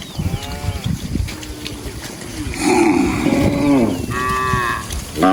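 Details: Cattle in a herd wandering and feeding in a rice field; several moos follow closely, a nasal low bellow in the middle, then a brighter, higher moo near the end, with faint background voices and low rumble.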